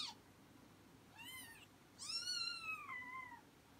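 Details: Two thin, high meows from a Persian cat that has just had four kittens, heard indoors. The first is short and arched. The second is longer, rising and then trailing off downward, against a quiet, hissy room background.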